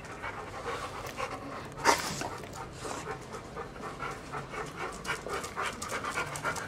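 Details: Large pet dogs, a young Siberian Husky and two arthritic seven-year-old mutts, panting in quick airy breaths with a sharp louder puff near the start and faint speech.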